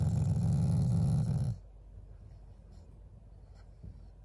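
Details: Family Shiba Inu giving a loving, not angry, growl toward its owners: a deep, throaty, pulsing rumble lasting about one and a half seconds, then near silence with faint household noises.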